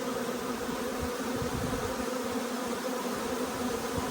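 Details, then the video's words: Huge honey bee swarm arriving at a nuc hive, a bee resembling a Carniolan going in; dense, steady buzzing hum with strong low tones and a brighter band above, continuous throughout. "Huge swarm arrives, magnificent as always!"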